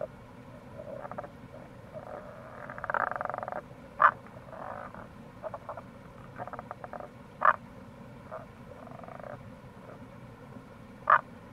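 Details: Wild Tago's brown frog calling in April near a gorge on the Kamo River, Itoshima, Fukuoka, Japan: short, loud, grunting croaks about three seconds apart, plus softer rapid pulsed rattling trains, over a steady low background rush.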